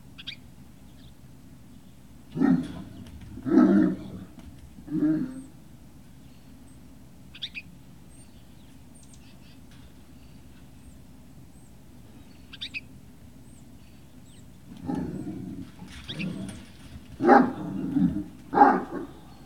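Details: Great Dane puppies at Puppy Hill on 18 November 2018 give scattered short, low yelping and whining bursts, two near the start, then a livelier cluster toward the end, with quiet gaps and faint high squeaks between.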